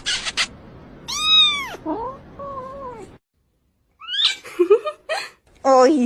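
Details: Indoor house cat, a male said to be unhappy, offered food; a bright bending meow and lower whining calls, then silence, then several short broken cries mixed with a person's voice.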